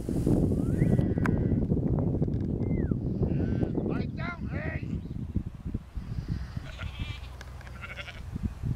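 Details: Field sheep worked by the border collie Lars, four years old: a cluster of quavering bleats near the middle, a short falling whistle before them, and heavy low rumble throughout with possible voices.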